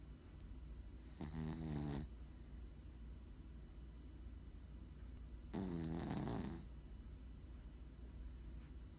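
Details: Chihuahua snoring indoors: two long, rattling, low snores about four seconds apart, each a buzzy pulsed rasp with a stacked harmonic tone, over a steady quiet hum.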